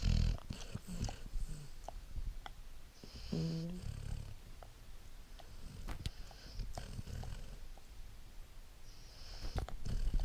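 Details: A sleepy Great Dane pup snores in deep, rumbling breaths while a person softly talks to it.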